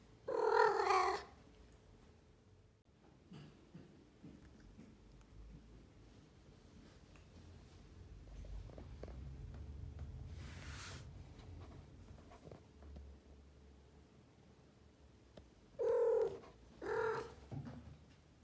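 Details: An adult female blue Maine Coon cat gives loud, chirpy meows, with a quiet low rumble between them.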